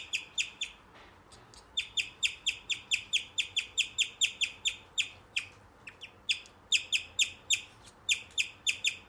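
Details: Male guinea pig chirping: a long, steady run of sharp, bird-like chirps repeated about two to three times a second, each a bright downward-slurred note, with one brief pause partway through; quiet room otherwise.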